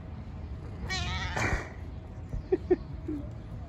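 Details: Street-living stray cat, described as having Down syndrome, utters two drawn-out wavering meows in quick succession, followed by faint clicks and soft background rumble.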